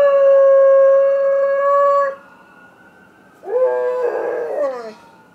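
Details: A Golden Retriever howls at a passing ambulance: a long, steady, mid-pitched note, then a wavering howl that rises and falls, and he stops mid-howl on noticing the camera.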